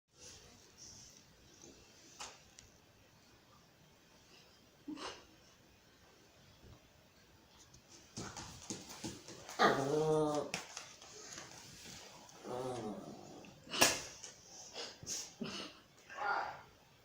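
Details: Pinscher dog: a mostly quiet stretch with scattered knocks, then a loud harmonic, whining-growly cry for about a second, a shorter one soon after, and sharp clicks and thumps around it.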